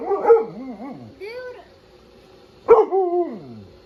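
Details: A male Husky/Malamute outdoors barks and howls at pool toys he hates. His wavering, sliding howls bend up and down, and a sharp bark-howl follows near the end.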